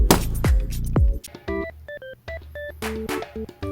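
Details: Short keyboard jingle: a few deep thumping hits followed by bright plinking synth notes, with no animal voice present.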